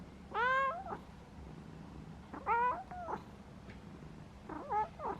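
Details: Domestic pet cat meowing three times, roughly two seconds apart, each call a loud harmonic cry that bends up and then down, the last one softer and split in two, over quiet low room hum.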